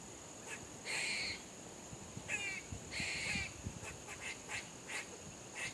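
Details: Squirrel barking: a run of short, harsh, chattering bark bursts at irregular intervals, some doubled, with a faint steady high hiss behind.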